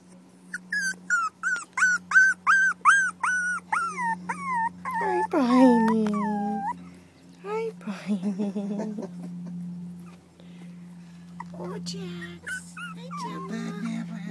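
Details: Four-week-old terrier puppies from the Maeve litter give a run of high, arched whimpering yelps, about three a second, then drawn-out falling whines and squeals, over a steady low hum, with a woman's soothing voice nearby.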